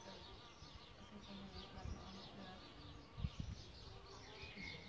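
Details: Low wing hum of solitary bees at their bug hotel nest site, a steady buzzing drone with a sharper, louder burst of flight near the end of the third second and faint birdsong high above.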